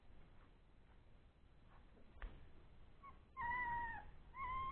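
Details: Old English Sheepdog puppies, three weeks old, at play after a meal; a clear, steady, high whine of about half a second comes near the end, then a second whine begins, over faint background rustling.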